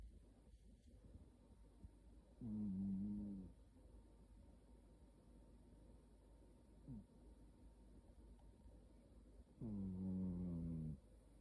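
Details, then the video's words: Snoring cat with two drawn-out, droning snores about seven seconds apart, each low and harmonic and slightly falling, a brief small squeak in between, otherwise quiet room. "고양이 코골이"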